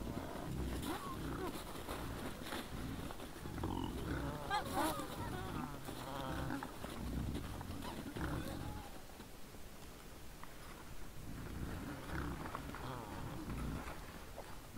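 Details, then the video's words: Wild boars in front at 20:17 on 17 December 2022, giving low rumbling grunts throughout, with brief higher squeals and wavering whines in the middle and near the end. "Nice sounds of the Wild boars"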